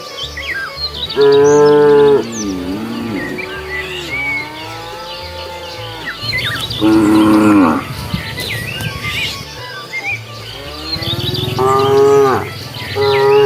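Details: Cows wandering along a road looking for food give three loud harmonic moos about five seconds apart, the last rising and drawn out, with faint lower lowing between, bird chirps and a steady low hum beneath.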